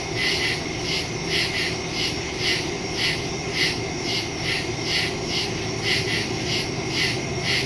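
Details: Crickets in the woods at night, recorded on September 2, 2023 with a Samsung Galaxy S22 Ultra phone and Shure MV88+ stereo microphone; overlapping high pulsed chirps repeat about once a second over a steady low rumble.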